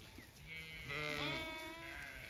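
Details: Zwartbles ewes on a County Kilkenny farm in Ireland call out, expecting to be let into the next field: one drawn-out, quavering bleat rising then falling, with fainter bleats from other ewes in the background.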